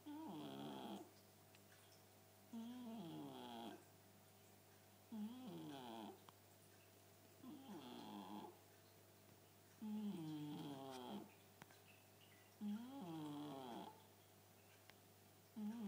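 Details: Chartreux cat named Cléo snoring very loudly indoors; raspy, harmonic-rich snores with rising and falling pitch sweeps, each lasting about a second, repeated roughly every two and a half seconds between quiet pauses.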